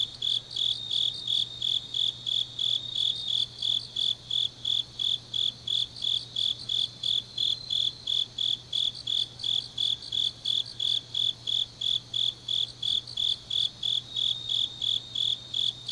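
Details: Changnyeong, Korea, deep autumn night: grass insects giving brisk, shrill chirps about three per second, a second overlapping high trill woven through the chorus, over a faint constant low hum.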